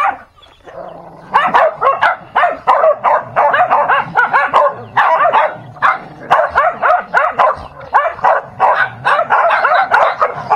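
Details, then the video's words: Dog fighting: after a brief quiet start, dense rapid barks and yelps pour out in tight clusters, mid-pitched and harsh, with only short gaps between bursts through to the end. "Dog Fighting"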